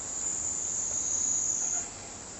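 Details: Kaempfer cicada singing a continuous, very high, steady metallic buzz that holds evenly for nearly two seconds, then drops off abruptly, leaving faint background hiss.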